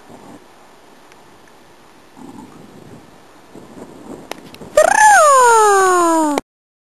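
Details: A Cardigan Welsh Corgi at playtime with other Corgis at a kennel on 9 May 2008 gives a loud, drawn-out whine that rises briefly, then slides steadily down in pitch.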